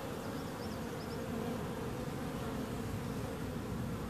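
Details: A mass of bees droning loudly and evenly, low and buzzy, with a few faint high chirps near the start.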